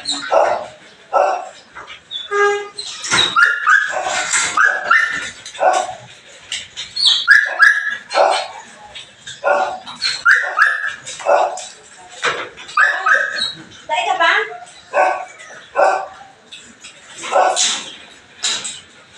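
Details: Belgian Malinois barking during a morning cleanup, many sharp overlapping barks and yelps in rapid, irregular bursts, with whimpering and a human voice mixed in.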